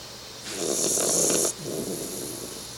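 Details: A 3-month-old Bull Terrier puppy snores while sleeping, a hissing, breathy rasp drawn in for about a second.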